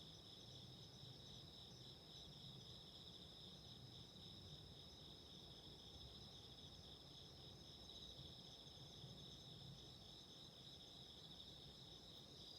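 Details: Autumn insects calling steadily beside a candle flame: a continuous high, even ringing in two close pitched bands that never breaks, over a soft low rumbling hiss.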